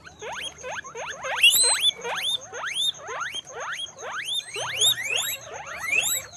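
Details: Guinea pigs on a guinea pig farm squeak in a rapid chorus of sharp, rising whistles repeated several times a second.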